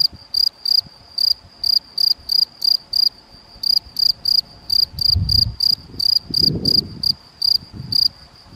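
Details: Male field cricket (Gryllus campestris) recorded on 7 May 2021 at Macieira da Maia, Vila do Conde, Portugal, with a Canon PowerShot SX70 HS: loud, shrill, pulsed chirps in short bursts, roughly two per second with uneven gaps, plus low rumbling thumps midway.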